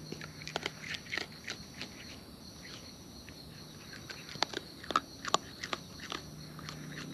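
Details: Wild raccoons eating close up, their chewing heard as sharp, irregular crunchy clicks and smacks, several per second in bursts, over a steady high-pitched whine and a low hum in the background.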